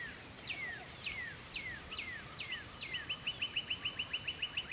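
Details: Crickets at dusk keep up an even, high continuous trill, overlaid by a bird's repeated descending whistles that give way to a fast string of brief clipped notes.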